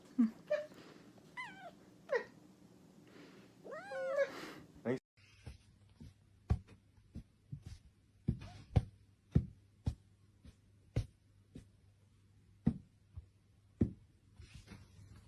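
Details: Pet cat meowing indoors: several drawn-out, wavering meows that rise and fall in pitch over the first five seconds, followed by a run of sharp, irregular tapping clicks with a low steady hum underneath.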